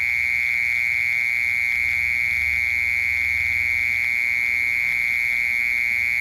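A mole cricket sings a continuous, loud, even trill, so rapid it merges into a single buzzing tone. The pitch stays level from start to finish, with no pauses or breaks.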